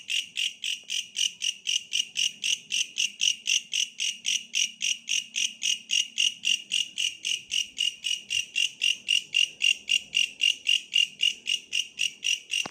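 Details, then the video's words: Long run of a bush cricket's calls: bright rasping pulses, almost four per second, steady and unbroken for the whole stretch, with quiet background hum and a brief click near the end. "suara asli bellalang pohon"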